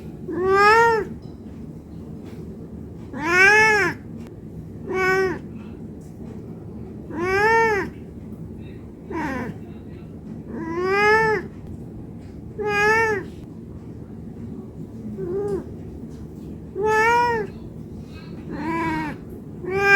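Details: Domestic cat meowing non-stop while hungry and asking for food: drawn-out harmonic meows with a rise then fall, about nine calls spaced one to three seconds apart, over a quiet low indoor hum.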